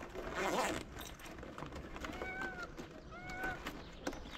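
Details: Stray cat in Morocco meowing at the man who feeds it, as if saying it missed him: two clear, arched, mid-pitched meows about a second apart, after a rustle, with a steady outdoor background hum.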